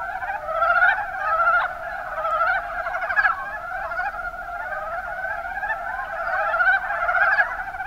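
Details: Kuma Basin, Kumamoto, Japan: a chorus of Mountain brown frogs (Rana ornativentris) gives rapid, rattling croaks about every second or so, overlapping into a steady, pulsing din.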